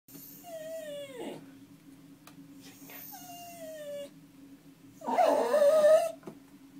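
A dog gives two long howls that slide gently downward in pitch, each lasting about a second. After a pause comes a louder, quavering wail, with a steady low hum running underneath.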